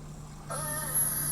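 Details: In the Canadian Arctic in summer, a beluga whale answers with a contact call, a brief nasal, slightly wavering harmonic tone over a low hum; used only when isolated from the group, it links mothers and calves.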